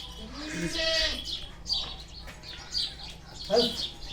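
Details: A village buck goat (gavran bokad), faced in a mock fight, gives a short wavering bleat near the start. Small birds chirp steadily throughout, and a man's voice comes in between.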